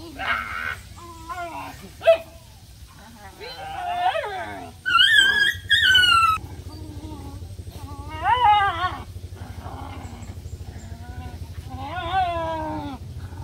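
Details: Playing puppies fill the stretch with a string of whines and yelps: short arching squeals, a sharp yip at two seconds, a loud high drawn-out cry around five to six seconds, then more bending whimpers over a low steady hum.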